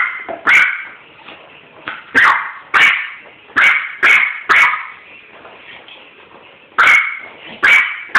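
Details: Pet dog barking at a skunk ball, recorded on a phone: sharp, bright barks in short bursts, roughly nine over eight seconds, some doubled in quick pairs, with quieter whines between them.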